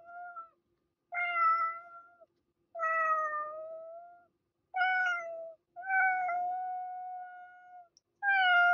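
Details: A cat meows repeatedly indoors, six drawn-out steady-pitched meows, each about a second long, separated by short pauses, some trailing off slowly.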